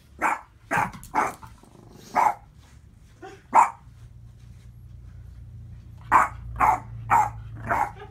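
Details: A Boston Terrier barks at his own reflection in short, punchy bursts: three fast barks, a few isolated yaps, a quiet pause, then four rapid, bright, clipped barks.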